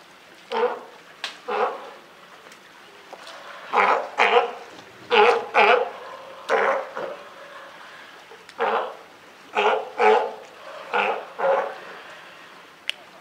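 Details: Captive California sea lions, a mother and newborn pup at Higashiyama Zoo, Japan, 28 June 2023, give a long series of harsh, honking barks, some in quick pairs or triplets, with short pauses between bursts.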